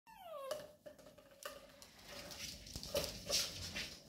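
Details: Labrador Retriever puppies playing with cardboard rolls: a high whine slides down and is followed by short, sharp yips, over steady rustling and scraping of cardboard.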